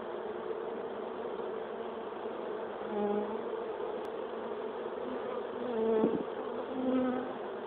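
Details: Escaped swarm of western honeybees returning to their hive at sundown, around 5 pm, after a typhoon, the queen's wing clipped; dense steady droning hum with brief louder swells as bees fly close past.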